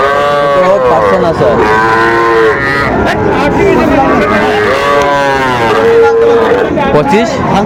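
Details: Sahiwal bull calves being traded at a Bangladeshi cattle market on 11 November 2024 for a Dhaka farmer: a series of level, sustained moos alternating with short rising calls, several calves answering each other, plus background voices and passing vehicles.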